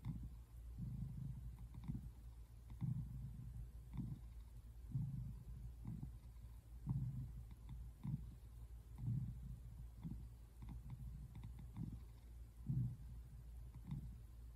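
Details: Simon, a tabby American Shorthair cat, relaxing on a couch on February 8, 2024, purring softly: a low, quiet rumble that swells and fades in steady breath cycles roughly once a second.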